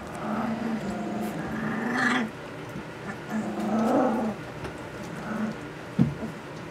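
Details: Puppies just under three weeks old, learning to vocalise, produce a long, low, wavering growl-whine that breaks off, then softer grumbling murmurs and a single sharp knock.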